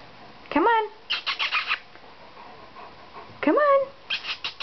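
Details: A 5.5-week-old German Shepherd puppy climbing down a second flight of stairs indoors gives two rising-then-falling whimpering yelps about three seconds apart, each followed by short bursts of clicking and tapping, with a person's encouraging voice nearby.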